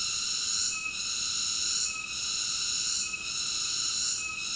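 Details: A cicada sings a steady, piercing, high buzz with several stacked ringing tones. The drone softens briefly roughly every 1.2 seconds, four times in this short stretch. No other sounds.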